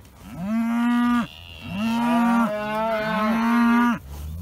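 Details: Dexter cattle in the morning, bored of their grazing and calling for new grass: three long, loud, steady moos, each about a second or more, with clear stacked harmonics and short pauses between.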